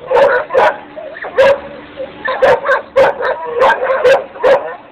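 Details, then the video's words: Dogs barking in a steady run of sharp, loud barks, about eight to ten over five seconds, some doubled in quick pairs, with softer yips and whimpers between them. "Dogs barking"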